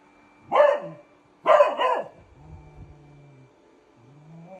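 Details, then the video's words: Beagle barking at a robot vacuum cleaner: two strong barks, the second doubled, followed by low droning vacuum motor sounds and quieter rumbling noise. "Cute beagle and robo vacuum cleaner"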